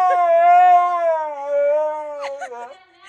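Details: Drawn-out Siberian Husky howl, one steady tone that sags gradually lower over two and a half seconds before breaking into a few short yelps; a person's voice follows.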